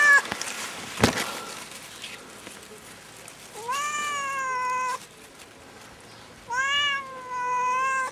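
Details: Pet cat stuck up a tree after climbing in, giving long, drawn-out harmonic meows that rise then hold level: one at about mid-clip, then two close together near the end, after a stretch of soft rustling and a sharp knock.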